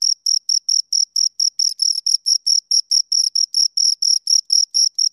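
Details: Pair of crickets stridulating near the microphone, giving bright high-pitched chirps in a quick regular train, slight overlap and blurring around the middle where the two insects' pulses run together.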